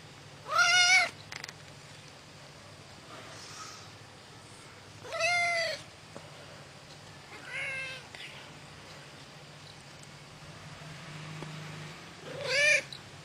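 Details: Meowing from Nichael, a sleep-loving Russian male cat who wants to sleep: four plaintive, slightly rising-then-falling meows at irregular intervals of about two to five seconds, against a soft low background hum.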